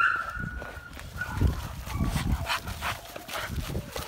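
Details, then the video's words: American Bully stud named Havoc play fighting with two young dogs he hardly knows; low, rumbling growls over scuffling and panting, with a brief high whine at the very start. "American Bully dog play fight"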